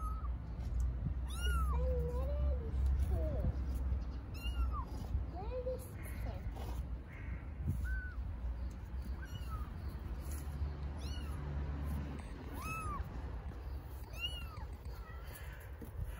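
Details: Homeless baby kittens on an Istanbul street meowing for their mother cat: many short, bent, high meows repeated irregularly, some lower and wavering, while people talk in Turkish over a steady low rumble.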